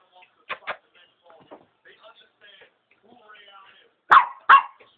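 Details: A Pomeranian barks at a wall, giving sharp, high yapping barks in quick pairs, with soft talking between them.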